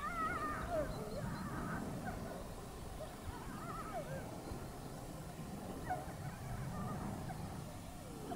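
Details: Wolves in Haute-Savoie, France, in a fainter, distant chorus: wavering howls and short yips overlapping throughout, partly buried in a loud low-pitched background rumble.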